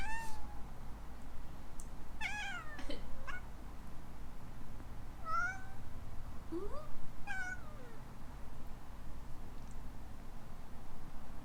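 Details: ["Alana, a playful young female rescue kitten in Hawaii, reacts to a person's sneeze with a run of short chirping meows. Some rise and some fall, spaced irregularly across the clip, over a low indoor hum."]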